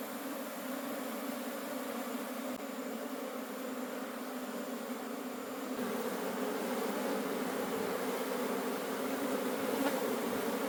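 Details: Wild honey bee colony in a forest during a honey harvest: a dense, steady droning hum with low tonal bands, swelling slightly louder after about six seconds, with no other clear sounds.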